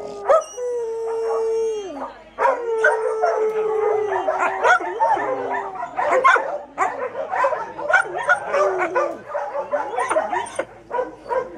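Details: Kelpie giving two long, steady howls that fall at the end, then a run of choppy yelps and broken, wavering howl notes that continue densely to the close.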